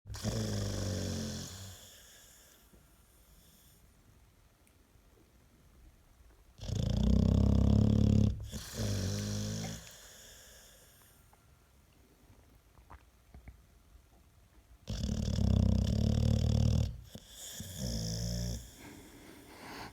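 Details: American Staffordshire Terrier snoring indoors, said to be louder than a washing machine on spin; two long, loud, low rumbling snores around seven and fifteen seconds, each with a fainter follow-up, quiet breathing between.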